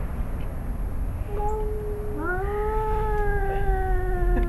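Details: Father and son cats square off in a yard in Arequipa, Peru, about to fight; a short low tone, then a sustained, slowly falling yowl with rich harmonics held to the end.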